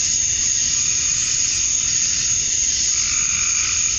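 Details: Summer dusk chorus of male cicadas in Georgia, USA, calling to draw females: an unbroken shrill buzzing wall of sound, even in loudness throughout, over a soft low rumble.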